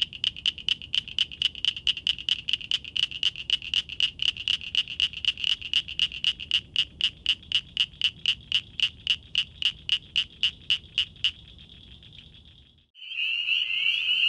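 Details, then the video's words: Frog or toad calling at night: a fast series of high, clicking pulses, about four per second, kept steady for roughly eleven seconds, then a brief continuous tone and a different, harsher high call at the end. "Frogs & Toads wide variety of sounds"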